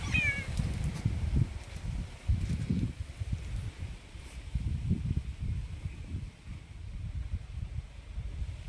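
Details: A Bengal cat, just given fresh catnip, gives one short, falling meow, followed by low rustling and thumping.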